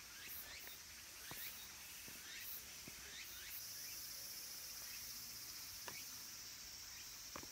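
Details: Late-summer cicada chorus among the trees of Kabusanji temple in the mountains of Takatsuki City, Japan, home to minmin and tsukutsukuboshi cicadas. A continuous high whine carries short upward-sweeping phrases repeated several times, with occasional clicks and knocks.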